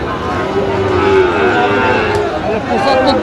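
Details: Sahiwal bull calves at a busy cattle market in Gazipur, Bangladesh, on 27 October 2025 while buyers bargain. A drawn-out low moo holds a steady tone for about two seconds under dense crowd chatter and passing vehicle noise.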